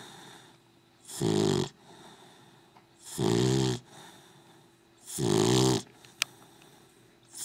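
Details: Dog asleep, producing three harsh, throaty snores spaced about two seconds apart, with soft breathing in the pauses and a single sharp click near the end.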